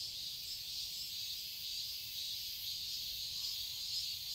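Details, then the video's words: Cicadas singing in a garden in Seoul, Korea, in summer: a dense, steady high-pitched buzzing drone that holds evenly throughout, with a faint low rumble beneath. "Cicadas chirping sounds"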